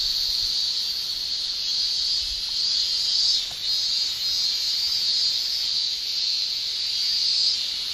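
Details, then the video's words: Male cicadas in a Japanese summer keep up a tymbal-driven shrill chorus, a constant buzzing band with brief dips and swells around the middle, plus faint low thumps. "Japan Summer Cicada Shrilling"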